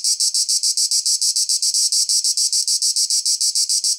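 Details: Cicada call heard as a piercing, high rasp chopped into quick steady pulses, around seven per second, alone and constant.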